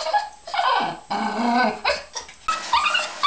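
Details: Pet dogs, filmed while their owner fools around with them: a run of drawn-out, moaning whines and yowls that bend up and down in pitch, four or five bursts over three seconds with short breaks between them.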